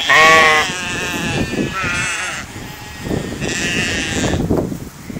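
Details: Sheep eating in a field: three wavering bleats, the first loudest, spaced about 1.5 seconds apart, over steady low crunching and thumping from grazing and movement.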